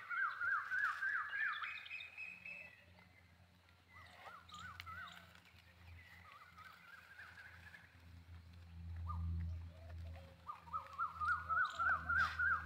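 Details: Jakhrana goats bleat in high, quavering calls that wobble rapidly in pitch, over a low background hum.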